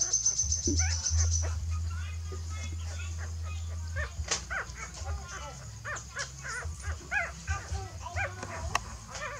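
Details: A mother dog moves her puppies to a new nest. A low steady drone fills the first four seconds. After that, rapid short high squeaks and whimpers rise and fall in pitch, several each second, with faint voices in the background.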